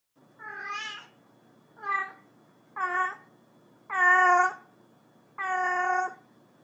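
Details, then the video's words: Cat calling another cat: five harmonic, nasal meows of varying length, each about half a second to a second long, spaced roughly a second apart, with a faint low hum underneath and no other sounds. "Call of nature | cat purrs | cat calling cat"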